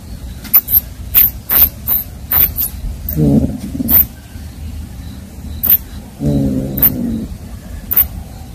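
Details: Roaming kittens give two drawn-out, low, harmonic meows, one short and one longer about three seconds apart, over a steady background hum with sharp clicking taps scattered throughout.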